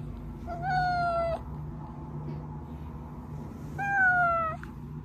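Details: Two evenly spaced, gently falling meows from pet cat Oz, each under a second, over a low steady background hum. The sound is used to coax hiding cats Meonji and Dubu out.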